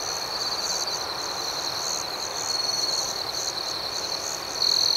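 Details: Nighttime crickets keeping up an unbroken high-pitched trill with rhythmic pulsing, swelling slightly in the middle and ending with a sharper, louder chirp.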